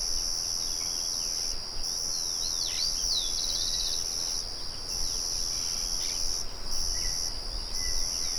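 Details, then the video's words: Crickets calling in the open countryside beside a murmuring windmill: an unbroken shrill high-pitched trill with a few brief gaps, a quick bird chirp sweeping down midway, and other faint birdsong over a steady low hum. "Sonido de Grillos"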